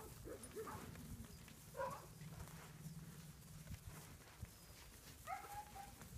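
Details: Sheep guard dogs on the far side of a fence give a few spaced barks as a herding dog handles bulls near the barn. Three separate bark bursts, the last a drawn-out yelp, stand out over steady low farm noise.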